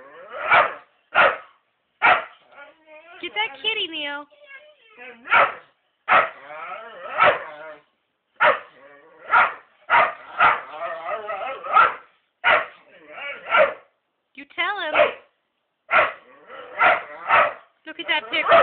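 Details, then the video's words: A whippet fixated on a black cat gives rapid, uneven bursts of short barks and yips, broken by stretches of high, quavering whining, over nearly twenty seconds. "whippet wants kitty"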